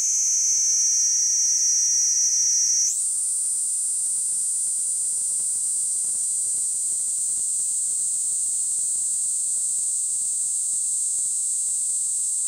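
A Kaempfer cicada sings a steady, very high, hissing drone that jumps up in pitch after three seconds.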